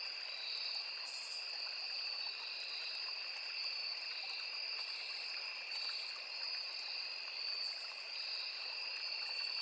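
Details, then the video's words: A forest by a small river with crickets trilling nonstop, two bright high tones held level throughout, a few faint higher buzzy bursts, and the broad hiss of a flowing stream beneath. "Sound of Forest and Small River | Crickets, Cicadas, Insects"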